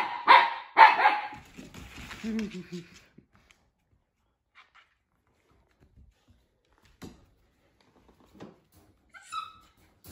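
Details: Siberian Husky puppy barking at housemate Juno in an indoor room: two loud, harsh barks open the recording, followed by a person's speech and scattered faint thumps and a brief high squeak.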